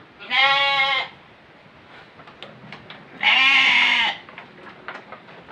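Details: Goat being kept for the Qurban sacrifice, bleating twice: loud, nasal, harmonic-rich calls of about a second each, about three seconds apart, over quiet background.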